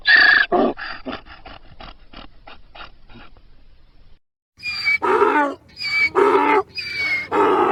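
A donkey brays, alternating a thin squealing intake with a loud, rough, groaning exhale.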